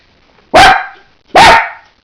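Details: A pet dog gives two sharp, loud barks about a second apart, each short, punchy and clipped, in a quiet room.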